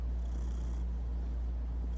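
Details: Pet cat purring, a deep even rumble held throughout without breaks, low and soft with no other clear sounds.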